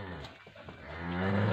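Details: Friesian Jersey cross cow at Bunga Hayat, Pakpattan Sharif, Pakistan, lowing with a deep, rising harmonic moo that swells louder over the final half second after a quieter, murky start.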